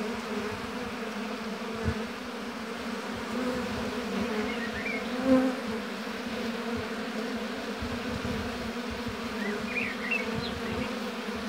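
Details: A dense, steady hum of many honey bees droning together at an apiary, with a few faint bird chirps; Western honey bee.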